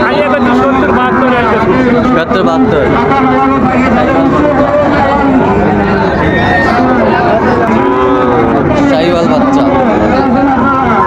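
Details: Sahiwal bull calves at a busy cattle market in Raniganj, Dinajpur, Bangladesh, on 9 September 2024; drawn-out lowing moos with rich harmonics overlap steadily throughout, with traders' voices haggling over prices and a crowd murmuring behind.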